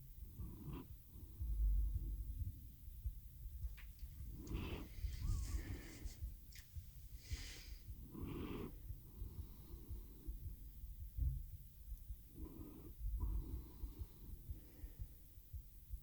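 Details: Cat Teo falling asleep while purring on a RODE NTG-3 microphone with a Zoom H6 recorder: a deep rumbling purr with breathy pulses, plus louder rustling and shifting sounds in the middle.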